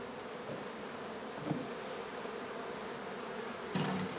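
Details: Honey bee hive being removed from an old home under renovation in Donna, Texas, for relocation: a steady, dense drone of many bees, with two short knocks near the start and end.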